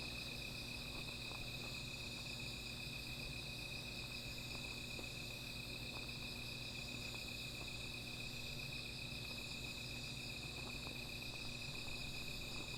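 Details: Insects at night by a small fire, their calling a constant high ringing tone that never pauses, while frequent light crackles and snaps from the flames dot the background.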